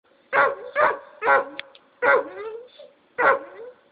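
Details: Treeing Walker Coonhound on a chain gives loud, hoarse barks, some ending in a short falling bawl.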